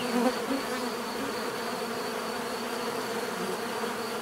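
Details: Many bees buzzing in a steady, dense drone, a continuous low hum with layered overtones and a faint high whine, unbroken for the whole stretch; a few individual bees briefly louder near the start.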